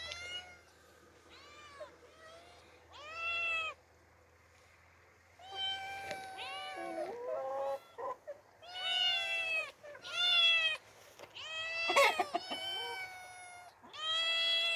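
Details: Two young orphaned domestic cats, out in open nature for the first time, meow repeatedly in loud, harmonic, arching calls, some long and wavering, in irregular bursts with brief quiet gaps between.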